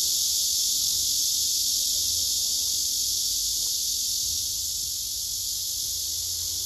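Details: Steady, piercing drone from a group of black cicadas lined up around a big female, loud at first then easing a little toward the end while remaining unbroken.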